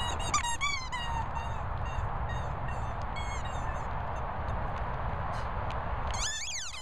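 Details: German Shorthaired Pointer named Daisy squeaking: a quick run of high, thin, harmonic squeaks in the first second, a few scattered shorter squeaks after, then a sharp rising squeal at the end over steady low rumbling background noise.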